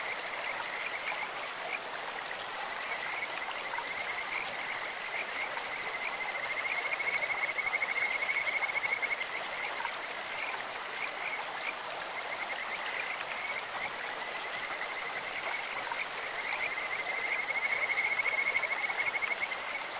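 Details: In a clear stream, Kajika frogs give bird-like, high-pitched trilled calls. Long runs of rapid notes grow louder around the middle and again near the end, with flowing water rushing constantly underneath.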